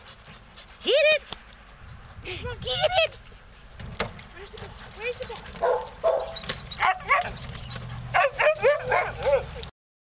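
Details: Shelter Australian Cattle Dog up for adoption, recorded 28 August 2013, lets out short, sharply curved yips and whiny barks in clusters, with a person talking and some background noise.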